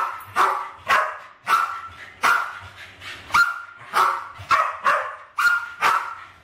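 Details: Two Westies, Alfie and Crystal, roughly 7 and 8 years old, go after balloons in a kitchen in 2012; crisp, high-pitched barks repeat evenly, about one every half second to second.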